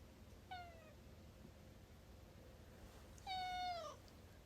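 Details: Domestic cat interrupting a conversation indoors: a short descending meow, then after a pause of roughly three seconds a louder, longer meow that holds steady before dropping, over a quiet room background.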